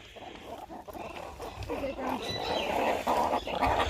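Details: Meerkats at Lincolnshire Wildlife Park chatter in rapid, gruff squeaks and grunts, overlapping in a busy jumble as they communicate while mobbing for mealworms during feeding.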